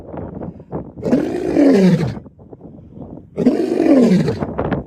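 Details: Lion (Panthera leo), roar.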